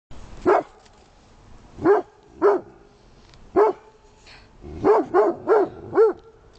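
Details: A dog barks at a snowman in short, punchy bursts spaced a second or more apart, then four quick barks near the end, each with a slightly rising-then-falling tone.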